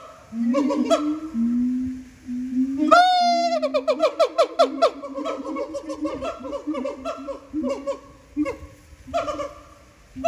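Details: Siamang song recorded at Japan Monkey Center, voices made huge by throat sacs; steady low booms, then a sharp high whoop starting an accelerating run of bouncing barks and hoots.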